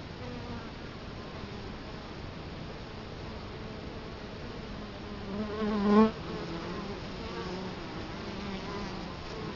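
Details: Italian honey bees at the entrance of their hive in Colorado Springs, October 2011, with the camera set right before it. A quiet hum swells as one bee buzzes loudly past near the six-second mark, then fades back.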